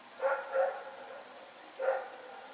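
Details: Rex the dog barking while running about at night, 21 September 2018: a quick double bark followed by one more bark after a short pause.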